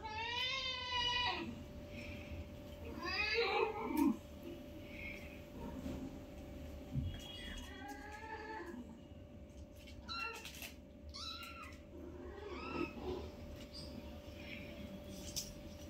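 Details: Newborn kittens, five in all, playing with their mother at home: high, thin harmonic mews with rising-falling pitch, several in quick succession around the start and middle, plus softer squeaks, a steady electrical hum and faint handling noise.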